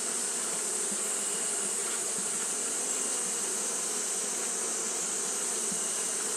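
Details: Japanese honey bees fanning nonstop on a hot day: a dense, steady drone with low humming bands and a bright, even hiss high above, unbroken throughout, with faint flickers of individual wingbeats.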